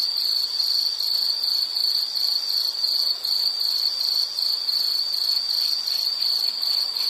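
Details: A piercing, steady insect trill with a pulsing beat, its slower swells of loudness coming about every two seconds, over low background hiss.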